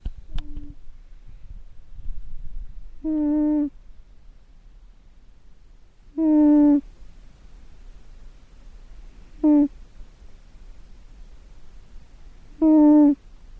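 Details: A sleeping cat snores, each slow breath producing a short, tonal, humming buzz, with about five of them spaced roughly three seconds apart over a faint low background hiss.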